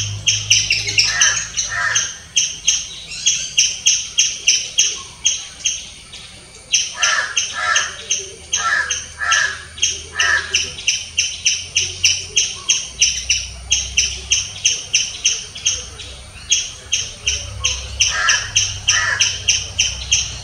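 A squirrel gives loud, sharp chirps in a fast, uneven series, about three each second.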